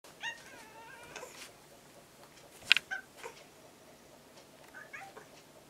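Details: Orange-and-white stray kitten, fed for about six months near a home and now almost a house cat, gives short harmonic meows early on, then a sharp click and faint rustling in a quiet room.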